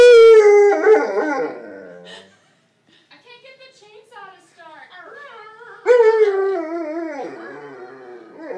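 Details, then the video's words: Purebred Alaskan Malamute male howling at a pet hospital after anaesthesia for a dental cleaning; a loud howl that fades, quiet broken murmurs, then a second strong wavering howl, with a person speaking softly. "Thor, the Opera Dog"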